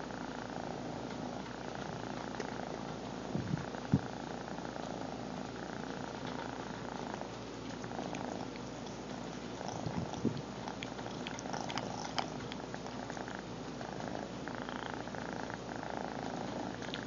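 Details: Long steady purr from the cat Lil BUB, phone-recorded at close range; continuous buzzing rumble with a couple of brief soft rustles or knocks partway through.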